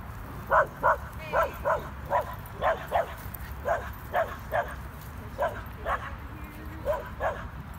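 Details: Corgi Nessi and a Chihuahua mix named Miles playing together; a run of short, sharp barks comes in quick pairs and triplets, loud and fairly evenly spaced across the whole stretch, with a low hum underneath.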